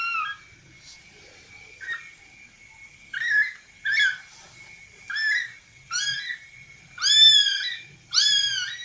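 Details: Playing kittens mew repeatedly, short calls at first growing longer and louder, one roughly every second, over a faint steady electrical tone and low background murmur.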